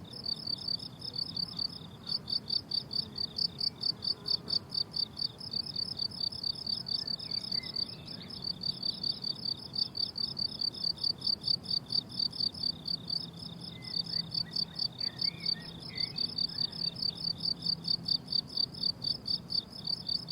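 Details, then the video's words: Summer meadow crickets keep up a rhythmic, high-pitched pulsing chorus of rapid chirps, roughly two per second, over a soft low drone and a few faint bird calls. "Relaxing Cricket Sounds on a Summer Meadow"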